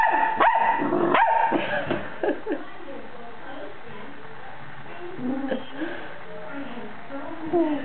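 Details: Pet dog barking: a few sharp, loud barks in the first two seconds, then quieter scattered yips with human speech in the background.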